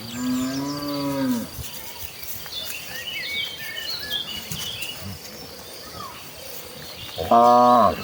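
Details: Village cattle walking in a group toward the rice fields to look for fresh grass: a drawn-out lowing moo opens, then quiet with small birds twittering, and a second moo rises near the end.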